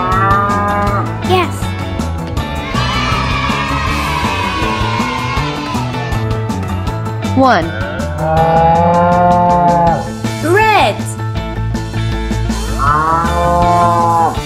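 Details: Several cows give long, deep moos, some rising then falling, spaced a few seconds apart; cow.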